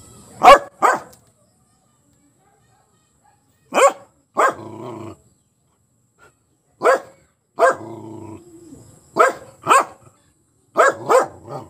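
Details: A pet dog named Hero barking on seeing an enemy: sharp paired barks come in bursts every one to three seconds, some followed by a short low growling rumble, with quiet gaps between.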